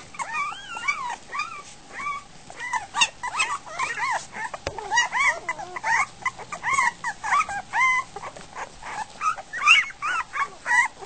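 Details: Week-old Goldendoodle puppies crawling toward dinner, tripping over one another; loud chorus of wavering whines and squeaky yelps, bending up and down in pitch, packed closely with brief pauses.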